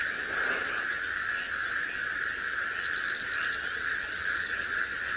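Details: Early-morning sunrise drive on 20 October 2017, after heavy overnight rain turned former lion-tracking ground into a flooded swamp: a dense frog chorus calls together, a steady trilling hum with higher pulsed notes over it.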